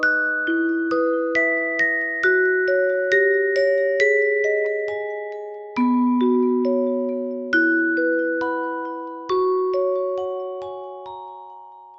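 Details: A gentle glockenspiel-like melody of struck ringing notes, with no kitten mews or other animal sound.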